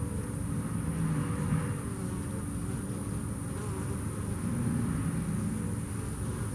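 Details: Continuous deep, thick buzzing hum from bees that came through Hurricane Harvey, holding an even level from start to finish.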